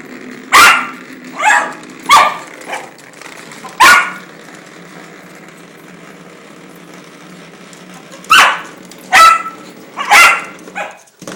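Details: Pet dog going nuts over a toy while playing indoors: sharp, loud barks in bursts, some doubled, separated by short pauses, with quieter yips between; a steady background hum throughout.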